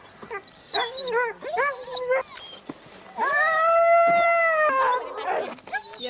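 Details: At a husky race weekend in the Forest of Dean in November 2001, sled dogs give short rising yelps, then one long steady howl of about two seconds, followed by noisy excited barking.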